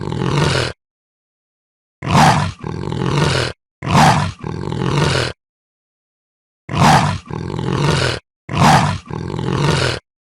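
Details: Leopard uttering harsh, rasping grunts in close pairs, like a saw stroked back and forth. Short silences separate the repeated pairs.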